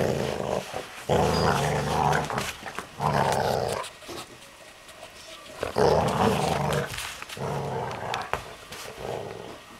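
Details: A male English springer spaniel growls in deep, rumbling bursts broken by short pauses, overexcited while playing with a chicken toy.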